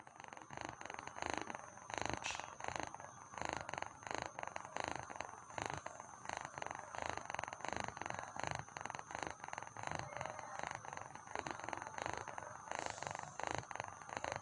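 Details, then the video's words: Domestic cat purring while sleepy, a steady rhythmic vibrating rumble with regular pulses throughout, close to the microphone indoors. "Cat sleeping sound | Cat Vibrating Sound"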